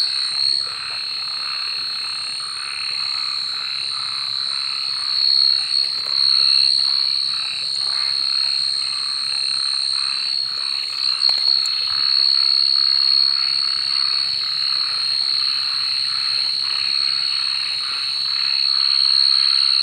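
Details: Frogs calling at night, a dense overlapping chorus of pulsed croaks at about four per second, over a steady high-pitched ringing drone throughout.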